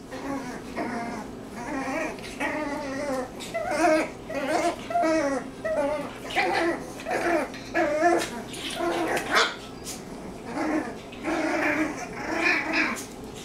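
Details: Six-week-old Cavalier King Charles Spaniel puppies, litter of Lucy, give high whining whimpers and short yips in a steady stream of bursts, roughly one each second, some wavering in pitch, indoors.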